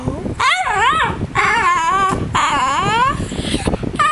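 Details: Pet dog Mr Bean practising a hello indoors: three drawn-out, talking-style howls that bend up and down, each about a second long with short gaps, backed by constant fan noise buffeting the microphone.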